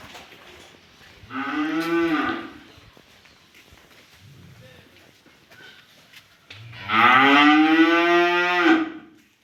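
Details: Cattle at a dairy farm in Bogura giving two deep, drawn-out moos about five seconds apart, each rich and harmonic, swelling then fading, the second louder and longer; quiet indoor murmur between calls.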